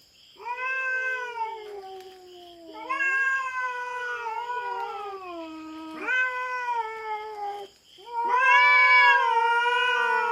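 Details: Fierce caterwauling from a feral cat invading a Philippine farm's cat territory and fighting a black cat. Four loud, sustained moaning yowls, each swelling and slowly falling in pitch, with a second voice weaving beneath. A high steady drone sits behind.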